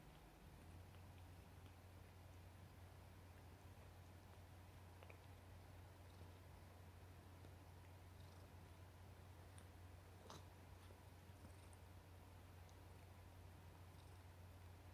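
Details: Affectionate house cat Chouchou, very fond of papa, purrs continuously in a quiet room. The deep, even rumble starts within the first second and runs unbroken for the rest, with a few faint clicks and rustles.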